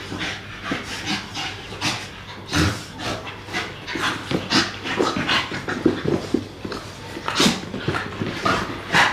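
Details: Pair of young English Staffordshire Bull Terriers playing together; quick, harsh panting breaths come in dense irregular bursts, louder toward the end, over a low background hum.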